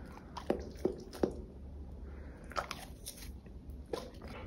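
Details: Golden Retriever eating pears indoors, crunching bites: a few sharp crisp snaps near the start, then a softer isolated crunch and one more bite, set against a quiet low room hum.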